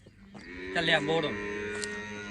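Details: Cholistani Friesian cross cow in Pakistan, shown for sale, gives a short harmonic moo that swells and falls over about half a second, with a man talking before and after.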